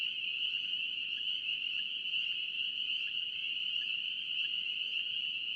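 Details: North Carolina spring peeper frogs in full chorus: continuous high-pitched peeping blended into a steady shrill drone, a few brief lower notes flicking through, otherwise uniform and uninterrupted.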